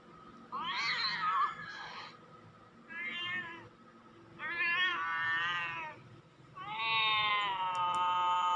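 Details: Recorded cat meowing played back to draw cats and watch a cat named Nuan respond: four loud, harmonic meows with pauses between, the last one long and held at a steady pitch.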